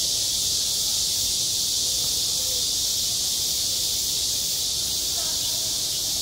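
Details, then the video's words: Cicadas singing on a hot summer school playground: an unchanging high buzz holds steady, with faint distant voices near the end. "한 여름 운동장에서 매미가 울고 있다"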